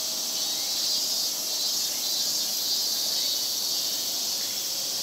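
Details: Big summer chorus of Japanese cicadas in Japan, a dense continuous high buzzing hiss that holds steady throughout with no pauses.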